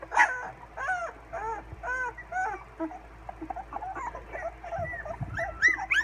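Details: A litter of 16-day-old English Springer Spaniel puppies, learning to howl in late June 2016, give thin, wavering howls and whimpers, several voices overlapping.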